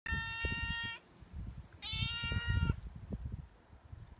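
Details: Outdoor stray cat waiting at a door in the morning or evening, asking for milk and food as part of his daily routine; two clear, harmonic meows, the second rising slightly, with low thumps and rustling beneath.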